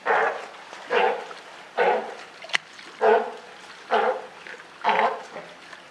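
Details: Newborn California sea lion pup with its mother at Higashiyama Zoo and Botanical Gardens, Japan, June 28, 2023. Six evenly spaced raspy bleats, nearly one per second, with one sharp click between them.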